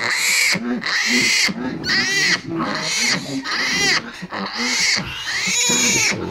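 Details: Domestic pigs at a sow's early-morning farrowing: dense, loud, wavering high squeals in quick succession, layered over steady low grunting.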